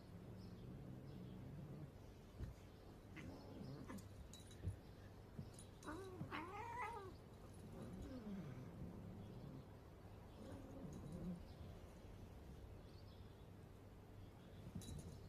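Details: Domestic cat meowing, with a few wavering, rising-and-falling cries clustered around six to seven seconds and softer calls later, over a low steady hum and light background noise.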